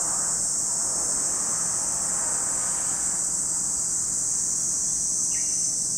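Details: Steady high shrilling of cicadas at Lake Kamo, Sado City, Niigata Prefecture, Japan, one unbroken buzzing band, with a faint brief bird note near the end.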